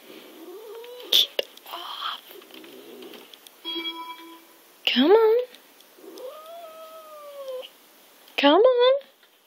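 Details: Pet cat protesting being moved off a laptop perch: loud yowling meows that rise sharply, a long sustained level meow in the middle, and a last rising cry, with a person's pleading voice and rustling between calls.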